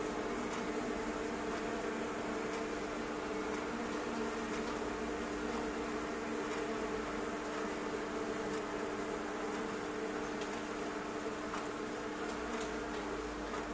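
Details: Thousands of bees packed inside a fireplace stove, their combined buzzing a steady, dense drone with a low hum throughout and scattered faint ticks and taps above it.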